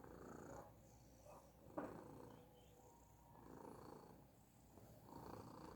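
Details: Persian cat purring softly: a low, grainy rumble that swells and fades in slow breathing cycles, with louder stretches at the start, middle and end and a brief click partway through.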